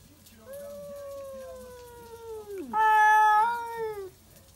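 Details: Stray cats at midnight in a backyard, yowling to defend territory: a long, steady moaning wail that drops sharply, then breaks into a louder, harsher, higher howl held for over a second before trailing off.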